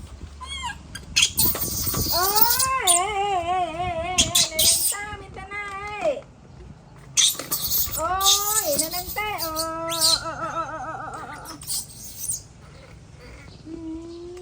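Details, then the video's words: Baby monkey in a tantrum as its mother walks away, giving repeated wavering, quavering screams that rise and fall, each a second or more long, broken by loud rustling and thumping bursts. "Adorable Baby Monkey Tantrum When Mom Leaving"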